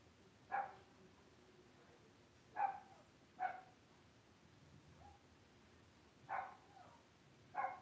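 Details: Cavalier King Charles Spaniel puppies being raised indoors in a home puppy pen give short, sharp yips. Six separate bursts arrive at irregular gaps against a quiet, steady room hum.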